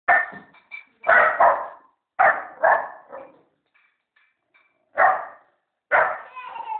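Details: Young American Staffordshire Terrier puppy barking: loud, hoarse barks in pairs and singles, separated by short silences and faint squeaky whines, about six barks in seven seconds.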